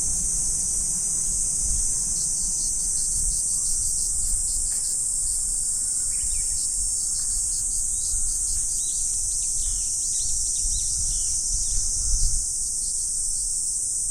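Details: Autumn insects in a morning chorus, a dense continuous high shimmering drone that holds steady throughout, with faint bird chirps scattered in the middle range and low rumbling background noise.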